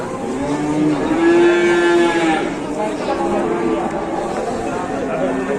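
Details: Big cattle at a market in Indonesia give one long, steady moo lasting over a second, followed by quieter lowing from other animals, with a busy crowd and vehicle noise in the background.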